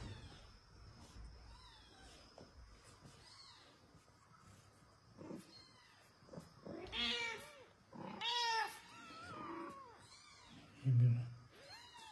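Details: Mother cat pleading for her kitten, a run of strong harmonic meows in the second half, some overlapping, with a soft thump and light background hum.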